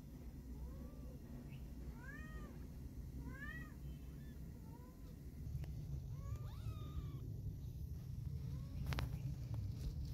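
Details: Fawn-coloured fluffy kitten wanting to go outside with its mother cat, giving a series of short rising-falling mews, several in quick succession, over a steady low rumbling background noise with a few clicks.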